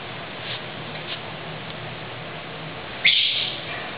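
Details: A rescued Pekingese puppy gives one sharp, high squeal after faint soft squeaks.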